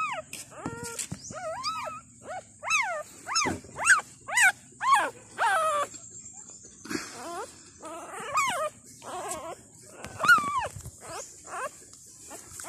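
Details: Newborn Thai dog puppies on their second day, five in the litter alongside their mother, whimper for milk in a rapid run of sharp rising-falling squeaks, with brief quieter gaps and a faint high hiss.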